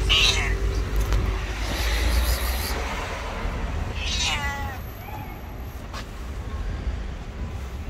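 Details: Hungry white stray cat living on the street, hugging a person's feet and meowing loudly; two drawn-out, wavering meows, one at the start and another near mid-clip, over steady low traffic rumble.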